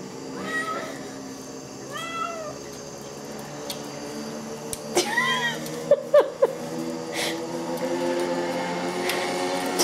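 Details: A domestic cat wanting to get in at night meows from outside, harmonic rising-falling calls near two and five seconds, a steady hum and scattered knocks and clicks behind.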